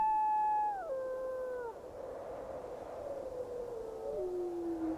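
A wolf gives long, smooth howls that slide downward in steps, over a steady rush of wind.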